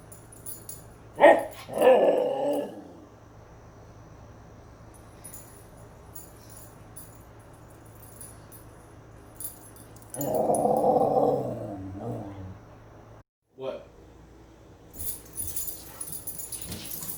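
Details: Impatient husky, ready to go, making vocal whining and yowling sounds: a sharp whine near one second, a wavering howl-like moan around two seconds, then a longer warbling grumble at ten seconds, indoors with a person speaking afterward.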